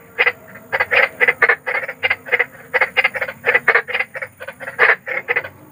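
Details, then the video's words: Large frog outdoors croaking at night-sleep pace: about twenty rough, raspy pulses in under six seconds, evenly spaced and loud, with a faint low rumble underneath. "SUARA KODOK || KODOK BESAR || SUARA KODOK SERAM"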